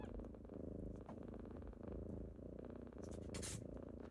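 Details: Kittens rousing their owner in the morning with close, loud purring, a dense rhythmic rumble pulsing about once per breath, plus a short rustle near the end.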